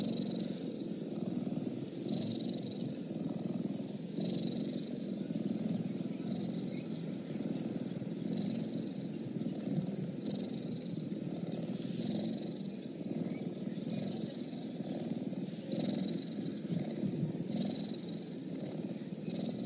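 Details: Cheetah purr, low and continuous, a gravelly vibrating hum held without a break. Short high chirps repeat over it roughly every second or two.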